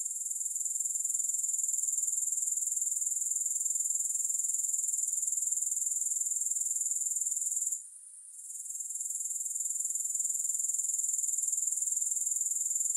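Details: Continuous high-pitched grasshopper buzzing, no music, an even rapid pulsing that runs unbroken apart from one short pause about two-thirds through.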